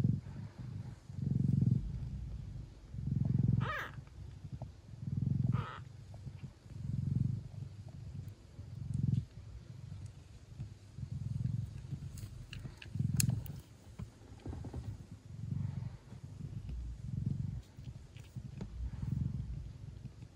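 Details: Traditional Siamese mother cat Mia purring hard while her newborn kittens suckle, at home in the Netherlands. Low throbbing purr rises and falls in regular breath-paced surges about every two seconds, with a few faint clicks and squeaks in the background.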